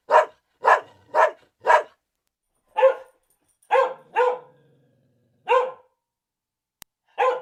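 A dog barks in short, sharp bursts, several quick barks then slower, spaced ones.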